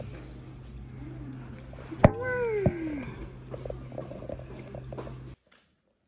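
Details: Atom, a small-bodied boss cat possibly hurt by a snake bite, gives one drawn-out meow that slides down from higher to lower pitch. It is rich in overtones and comes over a steady low hum, with people talking before and after.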